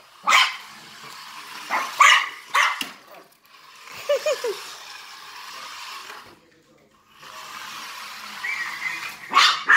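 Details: Maltese barking at a remote-control cop car it chases, with scattered sharp yaps and short growly sounds over a steady whirring toy motor that cuts out briefly near the end.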